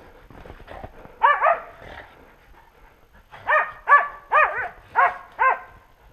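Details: Hunting dogs bay at a wild boar during a stalking boar hunt; loud harmonic barks, one pair early, then a rapid run of five or six evenly spaced barks about every half second, with faint rustling underneath.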